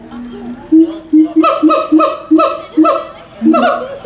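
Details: Zoo siamangs (Symphalangus syndactylus) sing on 21 December 2017, a rhythmic run of loud, ringing barks, each note short and rich, repeated in quick succession.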